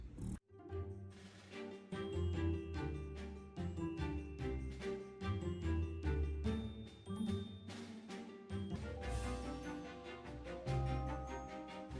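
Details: Upbeat background music with bright jingling, chiming accents and a steady rhythm; no animal voices stand out.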